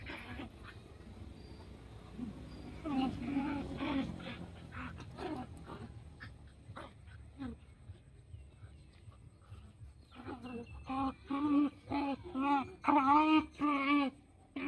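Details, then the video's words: Playing puppies with a run of repeated high whimpers and yips near the end, roughly two per second, over earlier soft grunts and rustling. "Puppy Playtime: I'm playing with puppies and dog so happy"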